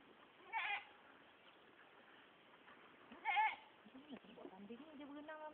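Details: Male white goat bleating: two short, harsh, wavering bleats about three seconds apart, followed by people talking in Malay nearby.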